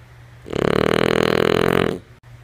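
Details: Sleeping female French Bulldog named Lulu gives a single loud snore, a rough pulsed rasp lasting about one and a half seconds, followed by quiet room hum.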